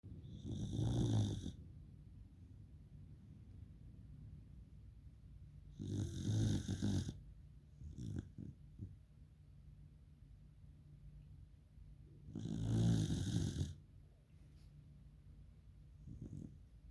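A Pembroke Welsh Corgi snores in long, rumbling breaths spaced several seconds apart.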